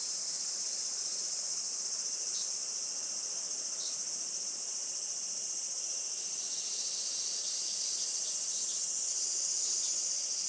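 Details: Japanese summer cicadas at a traditional farm in Saitama, about an hour from Tokyo, sunny late morning of 20 July 2024; continuous intense high whirring with slight pulsing swells, steady for over ten seconds.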